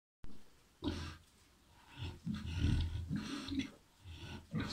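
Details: Landrace × Pietrain crossbred sow with eleven piglets, farrowing. Deep, low grunts come in about four rough bursts, the longest and loudest near the middle, separated by quiet gaps.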